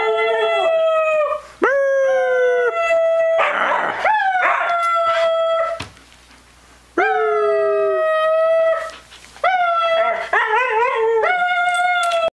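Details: A Siberian Husky howls in long, tonal, wavering calls that rise slightly and then sag, each lasting a second or two with brief gaps between. Harsher, noisier outbursts come during a scuffle with a cat.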